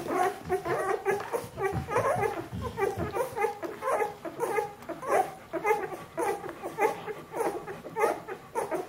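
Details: Bernese Mountain Dog puppies, a litter 14 days old, whimpering steadily indoors: short squeaky cries, roughly two per second, slightly irregular, with a brief low rumble early on.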